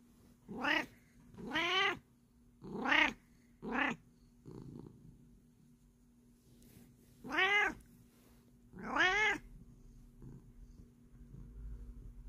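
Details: A Bengal cat at bedtime, kneading ("making biscuits") and slow-blinking, gives a series of clear, rising-and-falling meows with short pauses between them.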